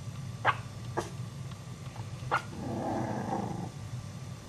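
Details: Dog barking at startled Chihuahua puppies: three short, sharp barks about half a second apart, then a low rumbling growl lasting about a second, over a constant low background hum.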